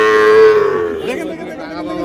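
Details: Sahiwal bull calf at a cattle market, bought by a Noakhali farmer on 24 February: one high, steady moo held for about half a second, then sliding downward and fading. Faint market background.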